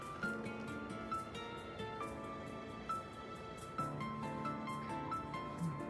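Background music with steady melodic tones plays throughout, with no animal sounds heard.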